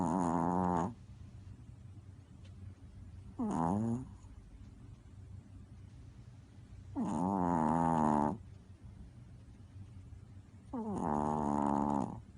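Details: Sleeping dog snoring: four rough, buzzy, drawn-out snores, each about a second long, coming every three to four seconds over a low background hum.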